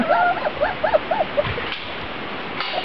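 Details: Grand Basset Griffon Vendéen puppies of the B litter, outside for the first time on 23 June 2009, give a quick run of high, arching yips that rise and fall, followed by quieter rustling.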